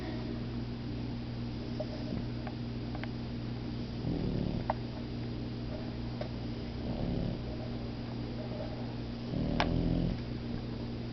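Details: Napping puppy pair Momo and Lela: low, rumbling snores come roughly every three seconds as long drawn breaths, with faint ticks between them and a steady hum underneath.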